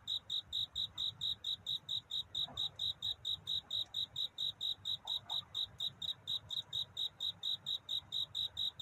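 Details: Cricket calling to find a mate through the night toward dawn, steady bright chirps pulsing evenly several times per second, with a faint low hum beneath.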